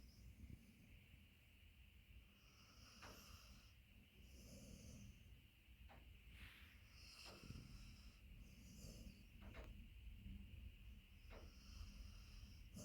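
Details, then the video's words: Beagle named Max asleep on a person's leg, shifting from snoring into dreaming during REM sleep; soft, low rumbling snores with sharper snorts recurring every couple of seconds, quiet and breathy throughout. "Beagle dog from Snoring into Dreaming"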